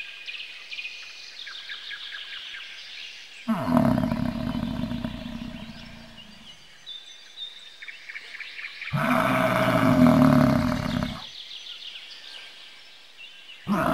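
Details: Two long, rough, roaring bellows from a bison, each lasting two to three seconds with a rumbling low growl, separated by a pause, while birds chirp and twitter quietly in the background.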